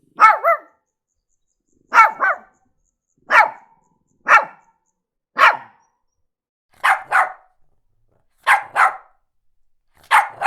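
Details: A Shih Tzu dog barks in short, sharp doubled yaps, a pair every one to two seconds.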